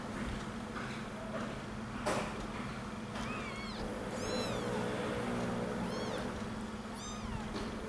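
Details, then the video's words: One-week-old kittens searching for their mother's milk give thin, high-pitched mews. The short arching cries repeat in quick clusters, some rising and falling, over a steady low hum and a few soft knocks. "The First 1 Weeks Kittens: They Find Mother For Milk"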